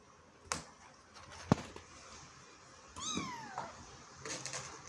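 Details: Kitten trying to climb out of a hole gives one high, harmonic meow that slides downward, with sharp clicks and knocks scattered before it and a brief scuffling burst near the end.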